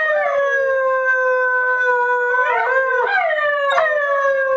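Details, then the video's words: Whippet, from the pair Max and Jake, howling when asked to sing: one continuous wavering howl lasting over four seconds, level at first, then bending up and down with warbles near the end. "Whippets Singing"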